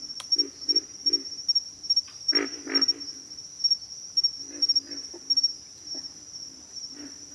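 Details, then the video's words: Pig frogs calling with deep, piglike grunts in spaced groups, two louder rasping grunts standing out midway, all under a steady high insect hum. "pig frogs - sound effect"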